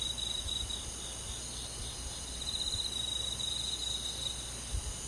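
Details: Chorus of crickets in a forest on a midsummer night, bright high-pitched trills pulsing rapidly and overlapping, swelling slightly in places while staying continuous, with a light low rumble beneath.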